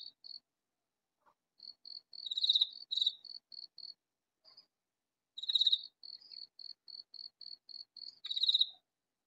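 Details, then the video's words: A katydid calling loudly in a vegetable garden, unseen. Harsh, pulsed rasping bursts repeat about every three seconds, with a steady series of short, higher chirps running between them. "Katydid calling in vegetable garden"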